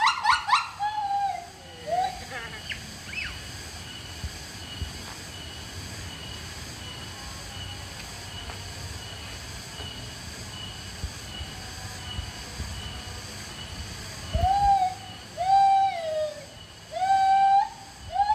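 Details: Siamang, a gibbon, gives loud, rising, harmonic whoops in bursts, with a long quiet stretch between them.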